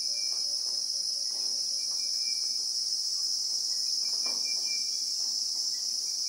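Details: Real-time South African bushveld recording of Christmas beetles (Anoplognathus) among acacias: an intense, continuous high ringing drone that never pauses, with soft taps and brief thin whistles from other sources beneath.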